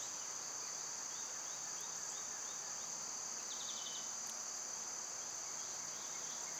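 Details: Cicadas in summer, when they are loud at this time of year: a steady, high, unbroken buzzing drone fills the whole stretch, with a short run of faint bird chirps near the middle.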